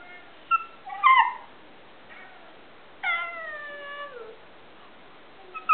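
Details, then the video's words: Alaskan Klee Kai named Cody, a tiny husky-type dog fond of talking, utters a short rising yelp, then a longer bending howl-like moan that slides downward and fades, separated by silence. "Cody (the amazing tiny husky) talking"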